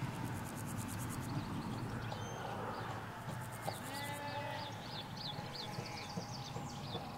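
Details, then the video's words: Sheep, ewes with their lambs, in a Hampshire field with hedge and road nearby; a wavering harmonic bleat near the middle, with a lower answering call, set against chattering birdsong and constant low traffic hum. "4K Sheep Field - One Hour Sound and Video"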